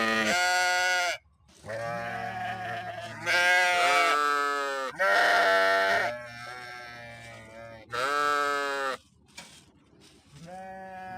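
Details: Several sheep bleating in turn, overlapping deep and higher wavering calls repeated over about nine seconds, each bleat lasting one to two seconds, ending with quieter shuffling.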